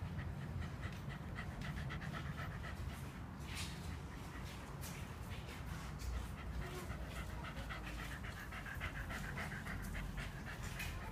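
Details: After running alongside a bicycle on a weekend morning walk, 14 November 2015, a Shiba Inu pants hard: quick regular breathy bursts, evenly spaced, with a low continuous rumble underneath and a faint voice at one point.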